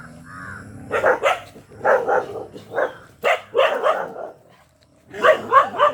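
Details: Black Bhotiya dog barking excitedly: short harsh barks in quick pairs and triplets with brief pauses, after a faint whine at the start.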